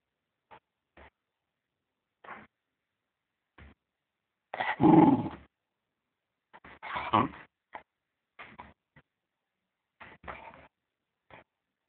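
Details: Fox terrier playing with a toy gives short separate grunts and yips, then a loud, rough growl lasting about a second near the middle, followed by another growling burst and more brief snorts in quiet surroundings.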